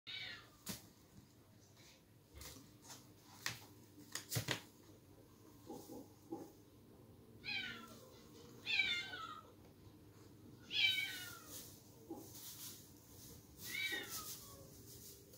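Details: Bengal kitten meowing indoors: a series of short, high, downward-curving mews, several clustered between about six and fifteen seconds, with soft clicks and faint room noise between them.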